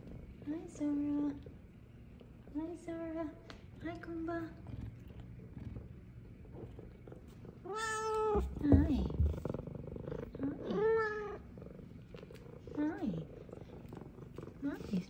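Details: Two female F2 Savannah cats call with loud, harmonic meows every few seconds, some rising then falling, greeting their owner home from work. A person's voice is heard briefly.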